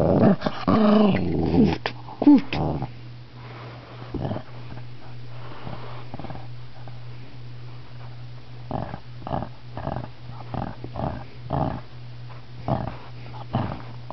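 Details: Shih Tzu growling after being touched during a nap, a loud rumbling growl with whines at the start, then quieter short grumbles every second or so in a small indoor room with a steady low hum.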